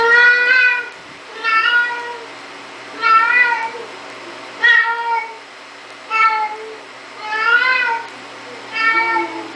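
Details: Siamese cat indoors while opening a door, giving loud harmonic meows with a slight rise and fall, about seven calls spaced roughly every one to one and a half seconds, over a steady low hum.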